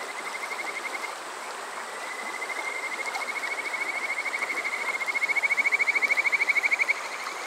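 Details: Kajika frog calling on a summer night at Yokoze, Chichibu, Saitama, Japan, near Water Park Shirayama, captured on a TASCAM DR-05X: high, rapid pulsed trills in a long series that swells louder before stopping, over a soft stream-like hiss.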